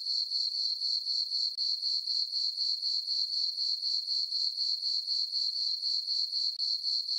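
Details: High, ringing cricket chirps fill a farm meadow at night under a full moon in summer, pulsing steadily at about four per second, close to thirty pulses, no other sounds present.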